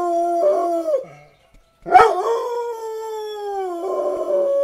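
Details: Black dog howling along to sirens, a short falling howl, a pause, then a sudden rising yelp that settles into a long, steady, slightly descending howl with a rough waver at the end.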